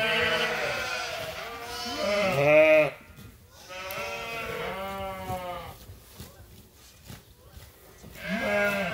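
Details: Flock of sheep and lambs at Ewetopia Farms calling while they await feeding: several quavering harmonic bleats, each one to two seconds long, with short quiet gaps between them.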